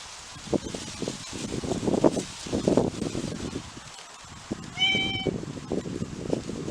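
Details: Domestic cat, one of six cats whose voices are compared, giving a single short, level meow partway through, surrounded by loud rustling and shuffling noises.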